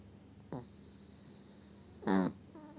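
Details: Eva, a small Chihuahua, snoring indoors: two brief nasal snores about a second and a half apart, the second louder and longer with a buzzy, slightly rising tone, over a quiet room hum.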